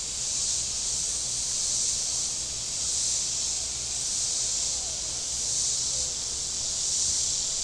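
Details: Cicadas buzzing by Table Rock Lake in southern Missouri on a very warm Saturday: a dense, high sizzling drone that slowly waxes and wanes every couple of seconds, with a quiet low murmur underneath.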